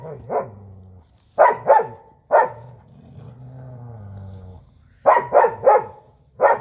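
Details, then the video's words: Desi dog and German Shepherd squaring up to fight: quick doubled and tripled sharp barks separated by a sustained low growl. A person comments in the background. "देशी और जर्मन शेफर्ड dog 🐕 के बीच हुई तगड़ी फाइट"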